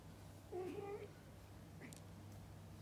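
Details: Mother cat feeding and bathing her kittens: one short, low, wavering meow with a mid-pitched voice. A brief higher squeak follows near the end, against a constant low background hum.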